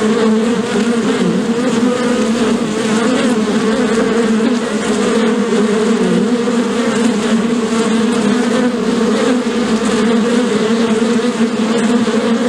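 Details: Dense swarm-like bee humming, possibly from a hive, steady low droning with small pitch wobbles as individual bees pass, continuous and loud.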